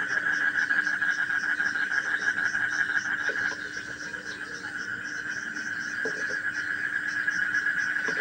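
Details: Frogs calling as soothing bedtime sound for children; continuous droning chorus with quick high pulses repeating about three per second, briefly dipping in the middle before resuming, plus occasional low clicks.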